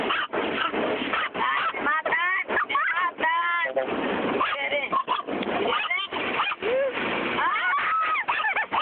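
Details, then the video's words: Female pet dog at a car wash, barking wildly throughout the wash: rapid bursts of short, arched, yelping barks tumble over one another above the constant hiss of spraying water and the roar of machinery. "Dogs reaction to car wash"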